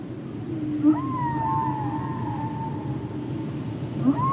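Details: Humpback whale singing a long drawn-out tonal moan that bends upward and then holds level before fading, joined by a short sweeping note near the end, with steady low underwater rumble throughout.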